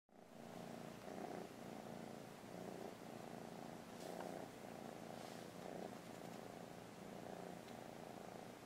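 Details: JEJE, a kitten being trained to give a paw, purrs steadily throughout with a rhythmic, pulsing rumble and brief swells in intensity; a few faint soft clicks are heard, with no voices.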